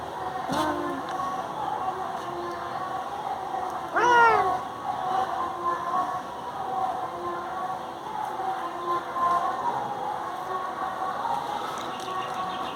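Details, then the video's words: Indian pet cat meowing to rouse people from bed: a short rising-falling meow near the start, then a louder, longer harmonic meow around four seconds, over a steady background hum with faint music-like tones. "cat moowming"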